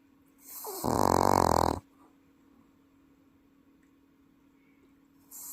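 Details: Welsh Corgi sleeping at home in Paju, snoring so loudly it sounds like an adult person: a single harsh, rasping snore lasting about one second, then quiet room hum.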